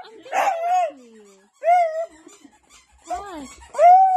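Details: Playful miniature sausage dog giving a series of high, drawn-out whining cries, each bending up then sliding down, with short gaps between, indoors.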